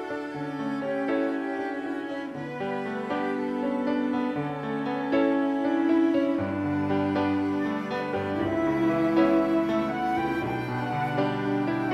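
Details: Slow, sad bowed-string music with violin and cello tones throughout, and no animal sounds.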